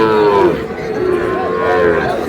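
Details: Cattle mooing at a busy market in Noakhali, Bangladesh, where a farmer buys a Sahiwal bull calf: drawn-out, harmonic lowing that sags in pitch, then a second wavering moo, over steady crowd chatter and talking.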